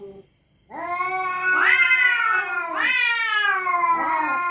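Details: Resident cats at night threaten each other in a drawn-out, eerie wail. After a brief quiet start, one continuous harmonic yowl runs with three rising, strained swells about a second apart.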